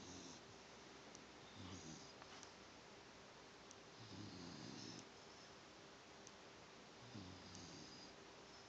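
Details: Sleeping female dog named Penne snoring softly, three low, rough breaths spaced a few seconds apart, the middle one longest, against a quiet room hum.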